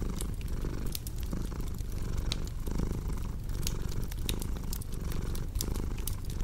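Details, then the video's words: Purring cat beside a cozy crackling fireplace, set up for deep sleep and relaxation: a steady low rumble swelling and easing with each breath about every second, sprinkled with sharp fire crackles and pops. "Purring Cat with Cozy Crackling Fireplace Sound"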